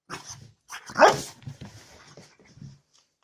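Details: Angry bulldog mixing a low rumbling growl with one sudden loud bark in the middle, the growl continuing raggedly after it.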